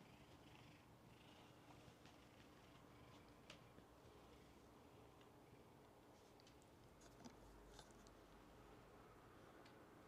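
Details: Black cat purring in an inn room, one of ten resident cats at a cat-themed inn; a steady low rumbling purr runs throughout under soft room noise, with faint clicks and rustles.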